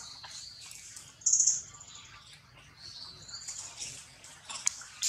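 A young monkey gives shrill, high squealing cries, calling for its mother after being taken.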